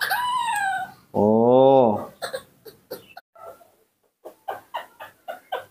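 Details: Newborn baby monkey Nomi, hand-raised at home, calling its mother: a loud, high, tonal cry that rises then falls over about a second, followed by a lower, buzzier harmonic call and a run of scattered short taps and clicks.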